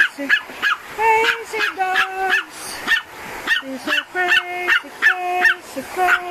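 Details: Pomeranian and bull terrier barking while reacting to a vacuum cleaner indoors; sharp, high yapping barks repeated in quick bursts, with a person singing long held notes over them.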